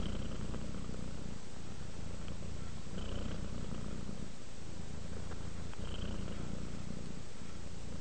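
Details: Purring pet cat named Rudolph relaxing into sleep, a dense low rumbling vibration with gentle rhythmic surges from breathing, continuous throughout with only slight pauses.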